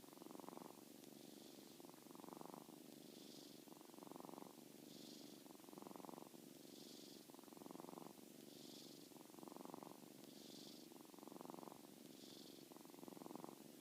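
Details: Sleeping soundly, 7-week-old Molly the kitten gives a run of about eight low, vibrating snore breaths, evenly spaced under two seconds apart, soft and steady in a quiet room.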